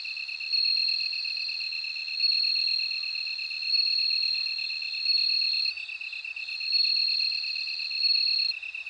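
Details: Bell cricket song: a sustained high ringing note that rises into louder bursts roughly every one and a half seconds. A lower, rapidly pulsing insect trill runs underneath the whole time.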